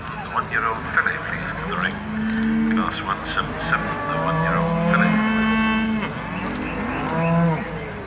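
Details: At an agricultural show in Perth, Perthshire, Scotland, Charolais cattle low repeatedly with long, flat, deep moos, some overlapping, under constant background noise from people talking and a general outdoor rumble.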